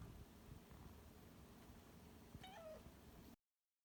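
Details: Rescued house cat, one of a pair slowly getting used to its new home, lets out a brief, short meow near the end after about two and a half seconds of low background rumble.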